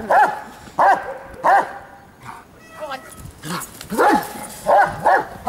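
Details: Giant Schnauzer giving short, sharp barks roughly every half second in small clusters, with a brief pause in the middle and a German-speaking voice in the background.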